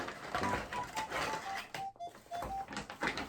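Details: A music-box lullaby plays a slow tinkling melody indoors, with tapping, clicking and brief rustling, and no animal voice heard.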